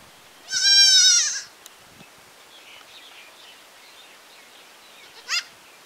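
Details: A village goat lets out one strong, nasal bleat lasting nearly a second, followed after a long quiet pause by a much shorter, clipped bleat.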